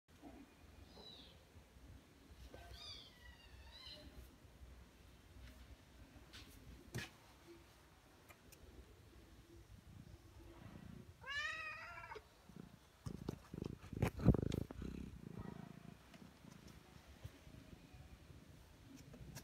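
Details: Mother cat with newborn kittens indoors in a quiet room; a few short, thin, rising-falling mews near 0.5–3 seconds and a louder downward-curving meow near 11.5 seconds, with faint rustling and thumps between.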